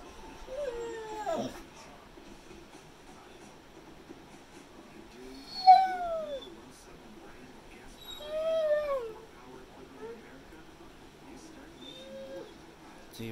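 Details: Male Pit Bull making drawn-out whining, howl-like vocalizations while talking back to his owner: bent, falling tonal calls at intervals of about two to three seconds, some rising then dropping, over quiet indoor background.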